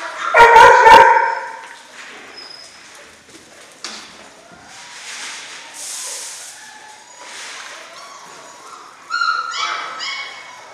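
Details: A litter of German Shorthaired Pointer puppies at six weeks old: loud clustered yelps open the recording, then a quieter stretch of faint squeaks and scuffling before a short run of high, tonal whines near the close.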